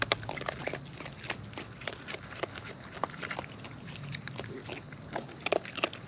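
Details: Close-up of wild raccoons feeding: irregular wet crunching and clicking bites spread through the whole stretch, with a couple of louder snaps near the start and end, against quiet outdoor hiss.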